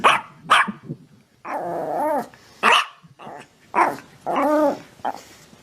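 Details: Dogs barking and howling: short sharp barks alternate with longer tonal calls that have stacked harmonics and bend up then down, like brief howls or yelps, over a low background rumble.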